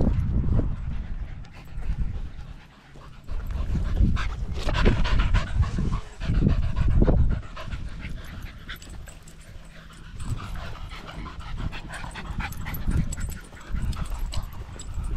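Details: Border Terrier panting on a one-hour dog walk with a pack of six small dogs, including Border Terriers Alfie, Juno and Otis, on a sunny 16°C day, 13 September 2022, GoPro Hero 10 Black; rapid rough breaths, about three or four per second, over footsteps and rustling.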